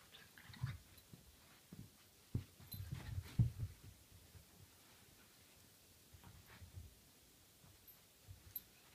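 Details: Jeffrey the Dachshund wrestling indoors with Otto: low, rumbling growls and grunting snorts come in short irregular bursts, loudest around the middle, with soft thumps of play in a quiet small room.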